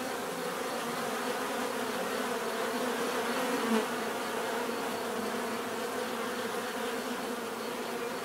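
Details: Steady bee buzzing forms a dense, humming drone; near the middle one insect passes a little closer, briefly swelling louder before the even hum resumes.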